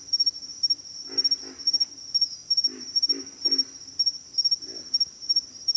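Pig frogs give low, piglike grunts in short bursts over a steady, high cricket chirping.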